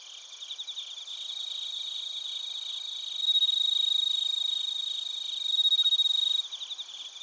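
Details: Bell crickets and crickets in Narita, Chiba Prefecture, Japan: a close caller's loud pulsed trill rises twice over a steady high insect chorus, then cuts off near the end, recorded on a TASCAM Portacapture X8.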